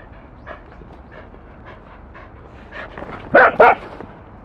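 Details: Welsh Corgi barking: two short, loud sharp barks close together near the end, preceded by quieter panting and faint soft vocal sounds.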